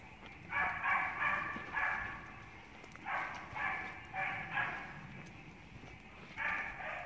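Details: Honey, a young Beagle of six months, lets out clustered, ringing barks, two or three quick ones per burst, each burst rising and falling in loudness, separated by short quiet gaps.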